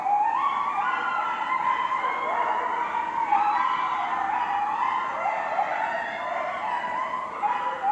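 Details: Several coyotes howl together at night in a residential neighborhood, long drawn-out voices sliding up and down and overlapping into an unbroken chorus of wavering, siren-like tones.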